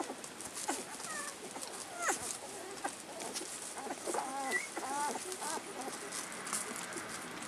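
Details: Collie puppies, 14 days old and born March 4, resting after nursing, filmed 18 March 2010: short, thin, squeaky whimpers with quick rising and falling bends, scattered irregularly over several seconds amid soft rustling and shuffling.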